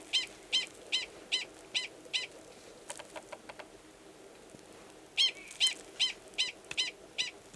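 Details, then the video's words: Gunnison's prairie dog male calling to court an estrous female in a nearby burrow before mating, Valles Caldera National Preserve, New Mexico, March 2017; loud, high, harmonic barks repeat about every 0.4 seconds in two bursts, separated by fainter clicks. "Prairie Dog Mating Call"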